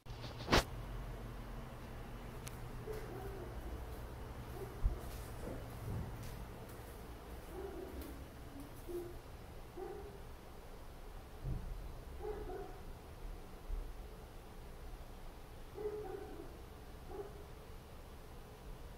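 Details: Neighbours' dogs barking in an apartment block at 4 a.m. after an hour of barking: muffled, distant single barks every second or two through the room, with a sharp click near the start and steady low indoor hum.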